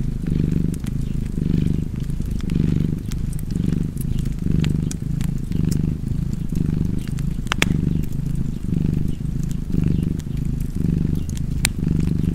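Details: Steady, low-pitched purring from a cat, rising and falling in regular breathing cycles near once per second, with occasional crisp snaps of a fireplace.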